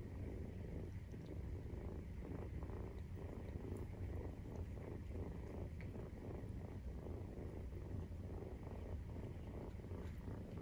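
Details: Low rumbling purr of a Maine Coon cat while nursing, kittens aged 43 days; the steady drone swells and eases in slow breathing cycles across the whole stretch.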